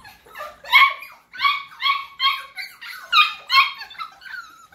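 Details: Cockapoo puppies, first-generation cross from a cocker spaniel mother and miniature poodle father, indoors: a steady series of about nine high whining whimpers, each brief and slightly falling, roughly two per second.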